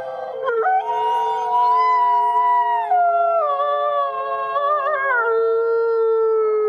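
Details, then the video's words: Captive gray wolves at a wolf conservation center in South Salem, New York, howling together: several long, smooth, sustained tones at different pitches overlap and slowly bend downward, forming a steady layered chorus. "Thirty-three Wolves Howling"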